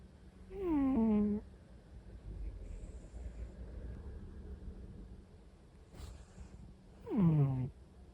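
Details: Sleeping orange-and-white cat named Pomu snoring: a pair of short, voiced, slightly squeaky snore tones that slide down in pitch, separated by roughly six seconds of quiet breathing and faint room hum.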